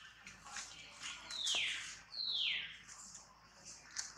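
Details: Baby monkey Tobais throwing a crying tantrum while handled roughly by its mother Toma: two loud, shrill screams, each sweeping steeply downward in pitch, about a second apart, over hissy, splashing background noise.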